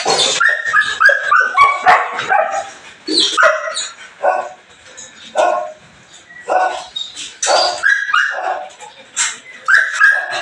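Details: Belgian Malinois during a morning cleaning session, barking rapidly and irregularly, mixing high yelps, short whimpers and whiny tones in repeated bursts.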